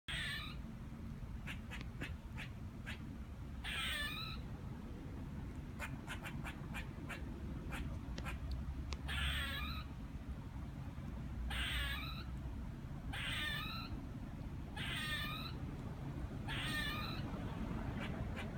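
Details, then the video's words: A squirrel up in a tree gives wavering, nasal, mew-like calls in short bursts with sharp clicks between them, at first mistaken for a chicken; the person hearing it wonders if it is crying. "Squirrel making weird noises in a tree..."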